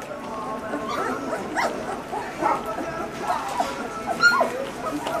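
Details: Great Pyrenees puppies of one litter at feeding time: a steady chorus of overlapping high whimpers and short squeaky yips, several voices at once with no pauses, brief rising whines standing out near the end.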